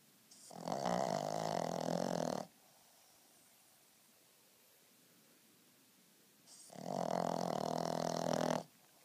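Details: Napping Frenchton dog giving two loud, rough, grating snores of about two seconds each, spaced some four seconds apart by quiet pauses, in a small indoor room.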